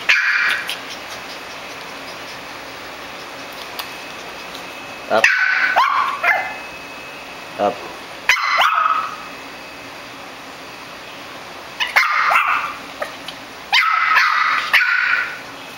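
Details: A hungry 11-week-old Shih Tzu puppy utters bursts of high whining yelps in clusters several seconds apart, separated by quiet stretches, indoors with a constant high-pitched hum.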